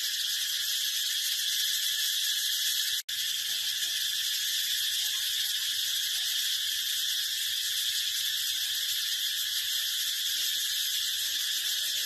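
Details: Continuous harsh sizzling buzz from a brown cicada, steady in pitch and volume, broken only by a split-second dropout about three seconds in before resuming unchanged.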